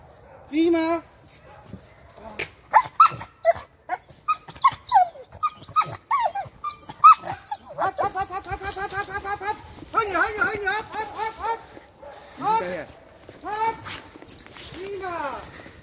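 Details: Working Presa Canario puppy Clara, eight months old, in security dog training: a man talks over scattered sharp noises, then a dense stretch of rapid, repeated barking builds and trails into a few single barks.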